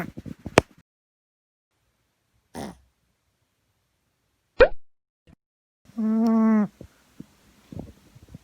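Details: Asleep indoors, female Boston Terrier Gaeborin gives one short, reedy, harmonic snore near the end, after several sharp clicks and small thumps in otherwise quiet surroundings.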